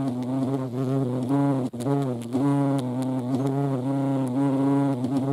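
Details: At a feeding place in Dohr, Eifel, 28 July 2022, hornets share the spot with ants; a steady low buzz of beating wings, with a brief dip partway through before the drone resumes unchanged.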